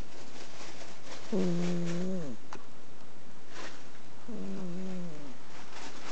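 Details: Exotic Shorthair cat asleep on a futon, snoring indoors: two drawn-out, low, droning tonal snores with rich harmonics, each lasting about a second and sliding down at the end, roughly three seconds apart.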